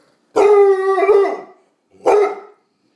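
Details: Bluetick Coonhound female vocalizing at home in reply to her owner; a loud sustained baying howl lasting over a second, then a single short bark, recorded close in a quiet room.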